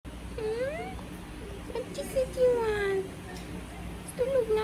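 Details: Sleepy female cat throwing tantrums, giving a run of whiny meows: a short rising cry, brief chirps, then a long drawn-out falling wail and a final short meow, with faint low room hum underneath.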